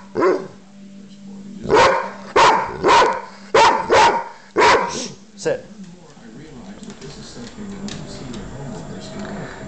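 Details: A dog named Guinness lets out a cluster of around seven loud, punchy barks within four seconds, then goes quiet while low background noise and faint indoor sounds continue.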